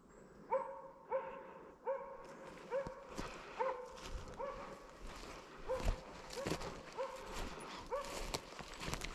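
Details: Slovakian hound named Arrow baying at a wild boar, holding it in place during a driven hunt with dogs in Sweden, November 2022; loud rhythmic barks roughly twice a second, growing more ragged, with rustling footsteps through undergrowth.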